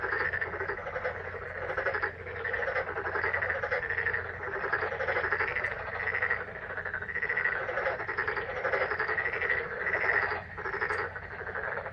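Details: Frogs calling in May: a dense, continuous chorus of many overlapping croaks, rapid pulsed notes swelling and fading in waves, over a steady low hum.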